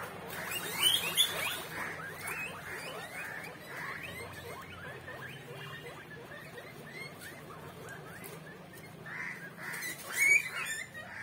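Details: Guinea pig giving a rapid series of short, high squeaky calls, several per second, in uneven bursts, with a few louder sharp squeals near the start and end.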